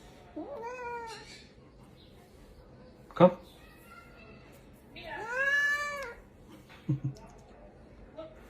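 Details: Domestic cat giving two loud, drawn-out meows, the first falling and the second rising then falling, about four seconds apart, while a person calls "come", with a couple of thumps and knocks between.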